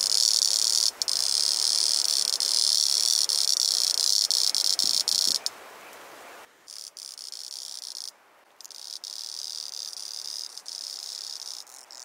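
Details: A male two-spotted singing cicada (Auritibicen bihamatus) on Kunashir Island, Kurils, sings a loud, steady, high-pitched buzzing drone that drops sharply in volume about halfway through.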